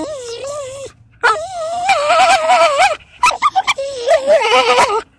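A Basenji gives warbling, yodel-like cries that rise and fall, broken by a quick string of short yelps.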